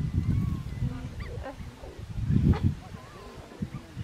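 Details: Geladas in Simien Mountains National Park, Ethiopia, where one male flaps his mouth at another, give low, throaty grunts and short nasal, honking calls over a rumbling background.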